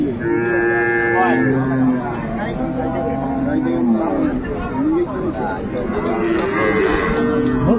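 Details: Improved-breed dairy cows and calves at Ambari cattle haat, Dinajpur, 10/2/25. Several lowing calls of shifting pitch blend with nearby voices and the general din of the market.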